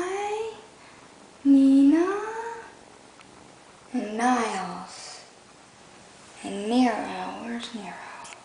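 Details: F3 hybrid sphynx kitten from a sphynx and domestic shorthair out-cross litter of naked and coated kittens at a cattery: three drawn-out, rising then falling meows, about two and a half seconds apart, indoors in a small room.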